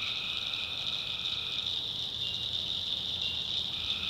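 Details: A night chorus of tree frogs in a North Carolina swamp, a steady shrill wall of overlapping trills with a softer lower layer fading in and out, over a quiet background rumble.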